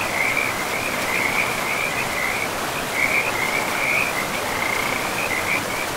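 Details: Frogs along a river in untouched forest with moss-covered ground, giving a sustained high-pitched trilling chorus with small surges in loudness, layered over an unbroken wash of flowing river noise.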